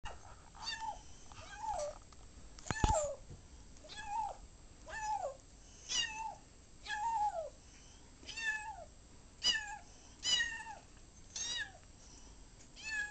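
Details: Ocicat on its first day home, indoors, chasing a laser pointer: about a dozen short meows with a falling pitch, spaced roughly one second apart, clear against a quiet room.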